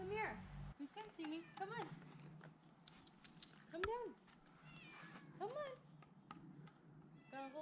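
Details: Climbing down from a tree while rescuers call her name, Olive the cat lets out a string of short, wavering meows at irregular intervals. Human speech and calls of encouragement are heard between them.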